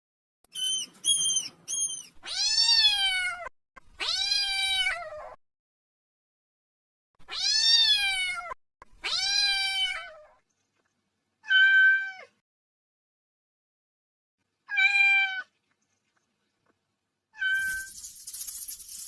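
A kitten gives a series of high, arching meows, calling for its mother.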